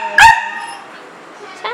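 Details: Rainy day at home: a house dog, YY or Zeggy, eager to get out and play, gives one loud sharp bark, then a pause, and a second bark begins just at the end.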